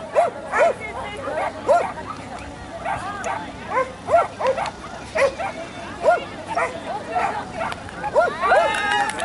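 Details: Standard Poodle at JKC Agility Games on 14 March 2015, giving short, sharp barks repeated about every half second to one second, with voices audible in the background.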